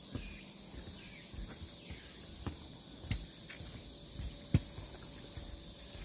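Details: Cicadas along the Deogeumsan Solbaram trail, Namwon, on 16 August 2019, keeping up a continuous hissing high-pitched buzz, while scattered footsteps and clicks punctuate it and a brief chirp appears near the start.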